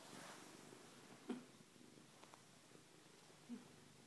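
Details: Ken-wai the cat purring softly and steadily through its homecoming ritual, pushing its head hard against someone indoors; the low rumble runs throughout, with two brief louder thumps.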